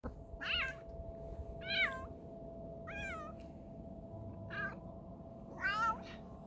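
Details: A sick cat makes strange, strained meows indoors: five short wavering cries, each bending up then down, about one every 1.2 seconds, over a steady electrical hum.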